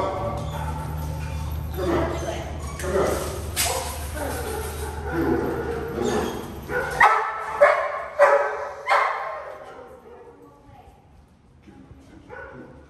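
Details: Yorkshire Terrier confronted by another dog that almost attacks it; a run of sharp barks and yips, several per second, mixed with people talking and a steady low hum during the first seven seconds, then quieter fading yelps.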